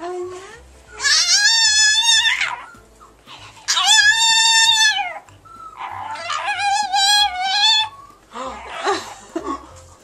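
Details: Pet Chihuahua indoors 'talking', producing three long, wavering, harmonic howl-like whines, each one to two seconds, rising then falling as if saying 'I love you', with soft human voices between.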